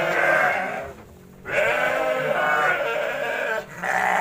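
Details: Garut sheep at feeding in rural Kampung Bentengur, Garut, Indonesia; loud sustained harsh bleating, with a near-continuous drawn-out call broken by a brief pause.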